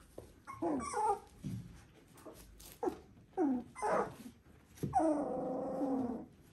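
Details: Border Collie puppies at three weeks old, litter V2 of Ori and Cru, indoors; a run of squeaky rising-falling whimpers, then a long wavering cry with clear layered tones lasting over a second.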